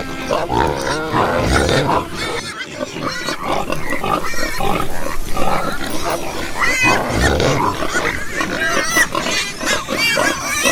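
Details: Several pigs give throaty grunts mixed with harmonic squeals and whines, busy and overlapping, with a short lull near the third second before the noisy chorus resumes.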